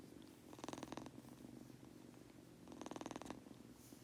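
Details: Sleepy Munchkin kitten Goku purring, with two rasping, snore-like breaths about two seconds apart laid over the steady low rumble.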